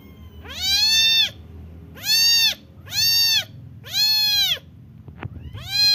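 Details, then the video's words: A kitten gives loud, drawn-out meows, four full cries about a second apart and a fifth starting at the end, each an arched, harmonic-rich wail; a faint click between calls. "Cute Kitten"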